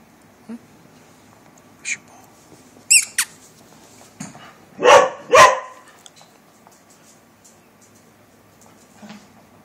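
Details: Border Collie, a breed described as very demanding, giving two loud, harsh barks in quick succession midway through, preceded by a few brief high squeaks and sharp clicks against an otherwise quiet background.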